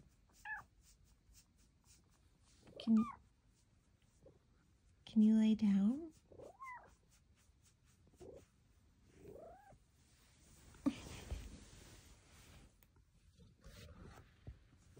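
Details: Indoor chatting from Luxey Lou, a big female cat near her cat cave, giving a few thin chirps and short bent meows between quiet pauses, with a woman talking softly and light rustling.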